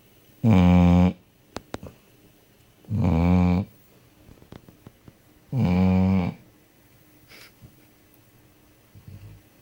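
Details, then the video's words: Deeply asleep indoors, the dog Fufi snores three times, each a steady low rumble under a second long repeated about every two and a half seconds, with small taps and clicks between. "chien qui ronfle"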